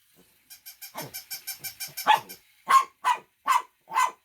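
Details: A fast series of short, even pulses builds into a rough bark, then four loud, evenly spaced dog barks close the sequence.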